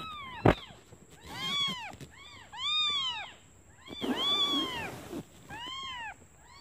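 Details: Newborn kittens calling for their absent mother, who has gone out to find food, because they are hungry; high arched mews in quick bursts, several overlapping, with a sharp knock near the start and a steady faint whine.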